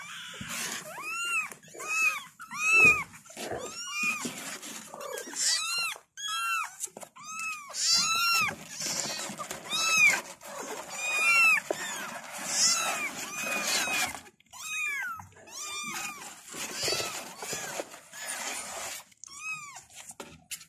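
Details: Kittens calling their mother with many overlapping high, arched meows, each rising then falling, rapid and continuous through the recording, several voices at once, with faint rustling beneath.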